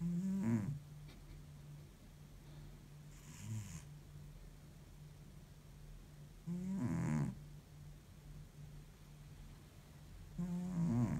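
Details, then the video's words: Cat deep asleep after a tiring week, snoring like an old man: three strong grating snores near 0.5, 7 and 11 seconds plus one softer breath, with a faint steady hum underneath. "deep sleep cat snores like an old man"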